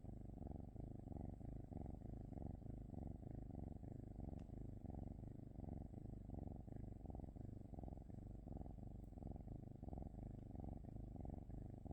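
A Norwegian Forest Cat purrs steadily, a low rumbling throb that rises and falls with each breath.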